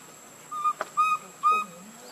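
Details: Hungry baby monkey Lucie crying in need of milk while foaming at the mouth, giving three loud, flat whistled wails, the middle one longest, with a brief click between the first two and low hiss behind.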